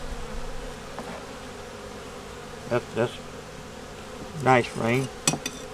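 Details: Honey bees in a nuc colony working to make it through winter, heard during a hive inspection with a yellow queen, eggs and brood in the top; a steady low droning hum underlies brief bursts of human voice.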